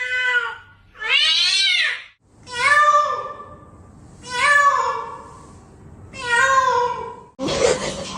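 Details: Pet cat indoors giving a series of drawn-out meows, each rising then falling, about five in eight seconds with short pauses between, ending in a burst of noise.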